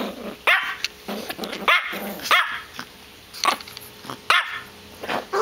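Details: Female Yorkshire Terrier named Pebbles having a tantrum over toys: a run of sharp, high yaps repeated roughly every half second to second, with short growly tails between them.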